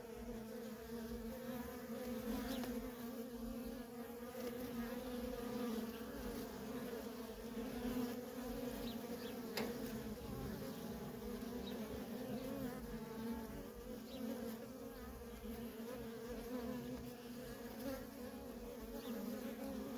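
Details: Steady, dense droning of many honey bee workers coming and going at a feral colony. The low, even hum holds through the whole stretch with faint passing whines of single bees.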